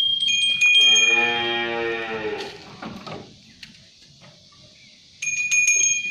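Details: Sapi londo cattle, shod and pulling a pegon cart, let out a long, full moo that fades downward after jingling bells; near silence follows, then bells ring again.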